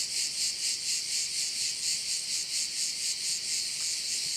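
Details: Crickets on Korčula, Croatia, shrilling in a bright, high chorus that swells and fades in regular pulses about three times a second, with no other sounds.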